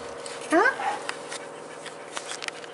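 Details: Four-week-old Staffordshire Bull Terrier puppy, one of a litter filmed on 19 March 2020, gives a single short rising yelp with clear overtones, followed by quieter rustling and small clicks.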